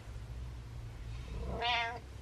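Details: Pet cat bragging to its owner indoors, giving a single short, bright meow near the end of the clip over a low steady hum.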